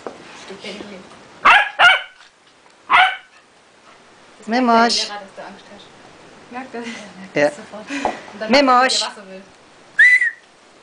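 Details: A Hungarian vizsla gives short, sharp barks and yips, with a person talking in between.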